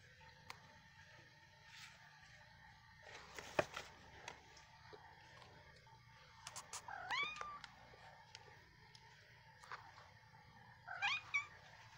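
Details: Black cats Archimedes and Reaper at play indoors, Archimedes with leg wrappings for swimmer's syndrome; two thin high arched mews several seconds apart, with scuffles, taps and a low background hum.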